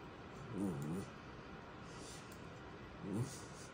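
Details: Schnauzer vocalizing to get attention: two low, wavering whine-grumbles, the first drawn out for about half a second with rising and falling pitch, the second shorter after a pause, over steady indoor background hiss.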